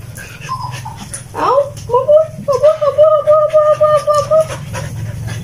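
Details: Siberian Husky, one of three household huskies, vocalizing during the morning routine: a rising swooped whine gives way to a steady, wavering howl-like tone pulsing roughly twice a second for several seconds over a low background hum.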